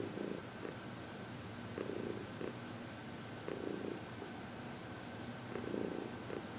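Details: Happy female senior cat Heidi, 14 years old, from the Humane Society of New York City, during a massage and reiki session on February 22, 2021; even rumbling purr rising into stronger pulses roughly every two seconds, indoors and otherwise quiet.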